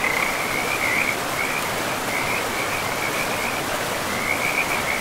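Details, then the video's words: Forest frogs by a river among moss-covered land give steady strings of rapid, high pulsed croaks with brief gaps, almost unbroken throughout, half-buried in the loud even hiss of running river water. "River and Frogs sleep sounds"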